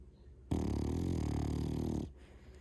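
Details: An 11-month-old male French Bulldog letting out a single loud snore: one sustained, deep, buzzy rumble of about one and a half seconds, rich in low harmonics, set against a quiet room.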